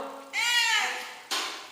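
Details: Pet cat indoors, being told by a person to sleep, gives one drawn-out meow that swells then falls away, followed by the start of a second, shorter cry.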